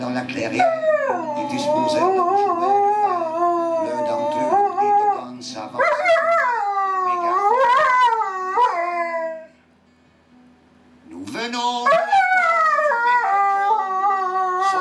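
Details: A pet Siberian husky "sings" along to music, howling in long, wavering, rising-and-falling tones over faint background music.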